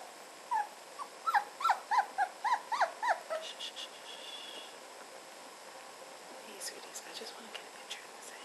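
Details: Almost four-week-old red standard poodle puppies at play with their year-old big sister Lily give a run of rapid rising whimpering squeals over about three seconds, then quieter rustling and soft clicks.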